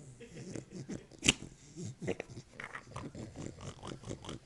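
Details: Pig-sounding Beagle producing rapid, rough snorting and grunting pulses through several seconds, low and raspy with one sharp click-like burst, a person's voice in the background.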